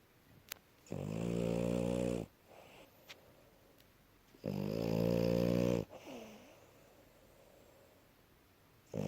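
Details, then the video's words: Asya, a female French Bulldog, in deep healthy sleep after playing, snores in heavy grating bursts of about one and a half seconds, followed by a soft descending exhale and a few seconds of quiet. "Французский бульдог Ася здоровый сон и храп"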